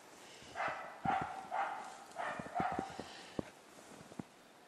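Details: During a capercaillie hunt in Sweden, a hunting dog barks at bay at a capercaillie in quick, harsh, mid-pitched barks, some doubled.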